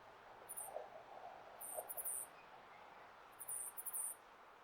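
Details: Wild male flying squirrel in Hokkaido calling in breeding season to attract a female: short, very high-pitched chittering bursts in three groups about a second apart, each a quick run of sharp notes, over faint background hiss.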